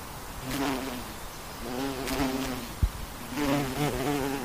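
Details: Western honey bee buzzing as it flies, the low hum rising and falling in three short passes, one sharp tap in the middle and soft noise behind.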